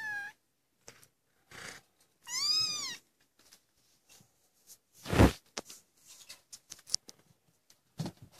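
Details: Maine Coon kittens aged 25 days, indoors at a cattery and eager to leave the nest, give two clear high arched mews, one short at the start and one drawn out, amid bumps, a loud thud and scattered clicks.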